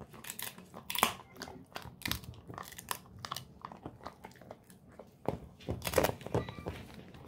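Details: Indoors, the Golden Retriever Moko eats a pig ear as a treat. Bursts of crackling crunches are separated by short pauses, with a loud snap near the first second and another cluster toward the end.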